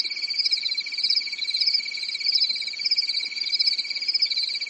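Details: Crickets at night during a quiet European summer, forest: a rapid high trill whose upper layer swells and fades in soft waves about once a second over a steady shrill drone.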